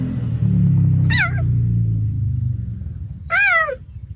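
A cheetah gives two short, high, bird-like chirps over a low rumbling background.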